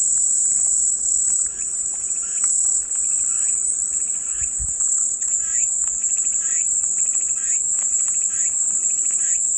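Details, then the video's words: Cicada chorus offered as calming white noise: an unbroken, shrill, high-pitched buzz holds steady at constant loudness throughout, with faint, softer chirping notes repeating quietly underneath. "백색소음 마음이 평온해지는 매미소리"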